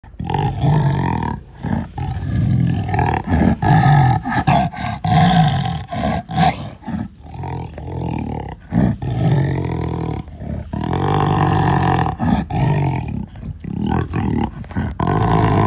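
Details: Black jaguar roaring: deep, rough, sustained low roars in long bursts separated by short breaks, with harmonic bands rising above the low rumble and a few sharper noisy clicks.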